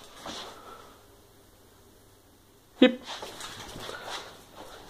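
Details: Female Staffordshire Bull Terrier doing as asked in anticipation of a treat: after a quiet stretch, one abrupt loud bark, then soft whimpering noises and a faint voice.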